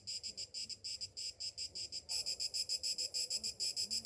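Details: Cicadas singing on a summer morning: a shrill, buzzy, high-pitched chorus pulsing about six times per second, growing noticeably louder and denser after two seconds.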